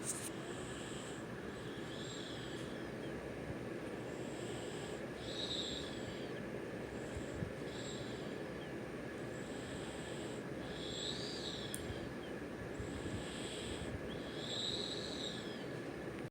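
A sleeping Puggle snores in slow, regular breaths, each one a wheezy, whistling rasp through the nose.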